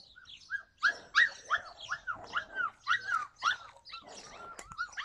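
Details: Yakutian Laika, recorded July 2020, barking in a steady run of sharp, high arched yelps, about three a second at the peak, ending with thinner whines and a single click.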